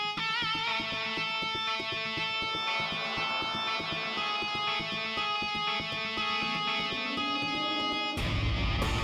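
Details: Strummed electric guitar music plays throughout with no animal sound, ending in a brief burst of brighter, louder music.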